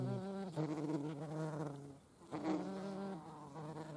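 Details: European hornet in flight, observed in the Eifel together with a median wasp; a loud droning buzz with rich harmonics, shifting slightly in pitch and briefly fading after two seconds before resuming.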